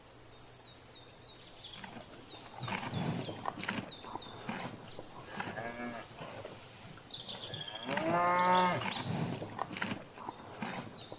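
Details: Cows grazing in a field give short, broken moos. The loudest comes near the end. Rustling and thumping noises from the paddock fill much of the time, and faint bird chirps sound at the start.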